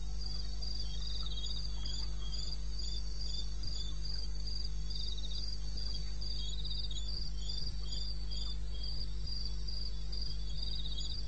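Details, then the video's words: Eastern Botswana wilderness at night, 02:30 on 21 May 2016. Crickets keep up a rapid, regular run of shrill pulsed chirps, several insects overlapping at slightly different pitches, over a steady deep background drone. "1 Hour cricket sound-Africa-No loop-Real recording."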